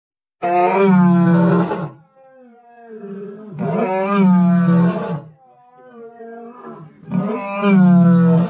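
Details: Lion (Panthera leo), roar.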